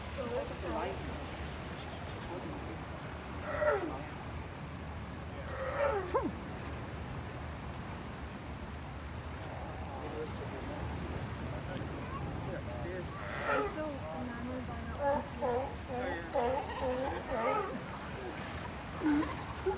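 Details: California sea lions at La Jolla, San Diego, California, give deep, rough growls over a steady wash of surf.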